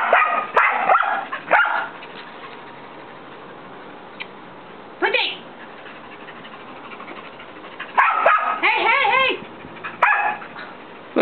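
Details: A young white mixed-breed dog, about a year old, barks at a nine-year-old long-haired Chihuahua that ignores her, trying to get it to play. Short sharp barks come in bursts near the start and again toward the end, with quiet gaps and people talking.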